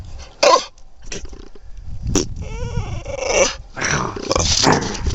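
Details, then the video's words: Tiger, a brindle Mountain Cur dog, filmed in March 2010, sneezes and 'talks' to let his owner know what he wants: sharp explosive sneeze bursts, then a drawn-out harmonic whining grumble and further snorts, with the owner's voice nearby. "Tiger Talking to me and Sneezing"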